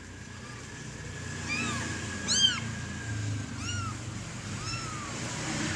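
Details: A kitten at play with a green teddy bear gives a series of five brief, curved meows. One near the middle is louder and sharper. A steady faint whine runs underneath.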